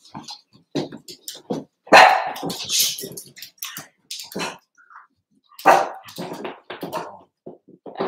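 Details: Overnight indoors on 8/27, Cavalier King Charles Spaniel puppies (Cooper, Conner, Jenny; born June 9, 2022; Ruby and Blenheim) give sharp barks and whines in irregular bursts, with scuffling between cries.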